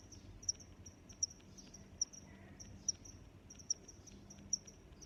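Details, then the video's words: High, clicking cricket chirps repeat about every three-quarters of a second, seven in five seconds, joined by a thin continuous trill, with a soft low hum in the background; a relaxing sound of nature. "Sounds of Crickets"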